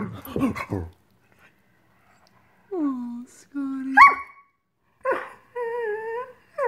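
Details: Greyhound frustrated that dinner has not yet been served, a tantrum in a small room: after a brief rough outburst, long drawn wavering moans and whines, some sliding down in pitch, with pauses between.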